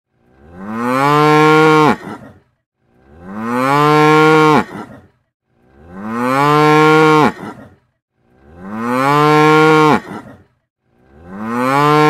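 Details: Cow (Bos taurus), moo.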